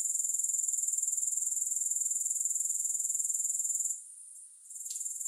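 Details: Grasshoppers with no music: a high, steady pulsing trill that drops suddenly to near quiet for about a second near the end, then resumes rising back to full strength.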